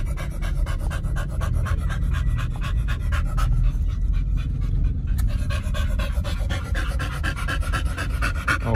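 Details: Excited pet dogs in a car after a stay at a dog hotel, fast continuous panting throughout, heavy low road and engine rumble underneath.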